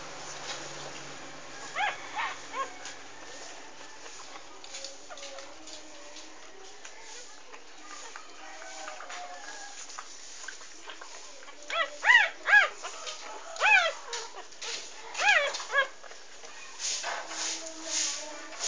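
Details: Three-day-old English Bulldog puppies nursing on their mother Maggie, her first litter of six, three females and three males; faint at first, then a burst of high arched squeals and whines clustered in the final seconds.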